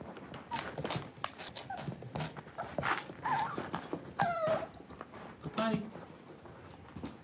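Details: Cavalier King Charles Spaniel puppies playing indoors in a home puppy pen; high, whiny yips with wavering harmonics near four and five and a half seconds, amid paw clicks, scuffling and faint human voices.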